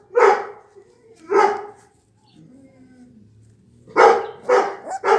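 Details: Twenty-four-day-old blue Pit Bull puppies, Raven's litter, barking: two separate loud, raspy yaps, then a quiet gap with faint low sounds, then a quick burst of three barks at the end.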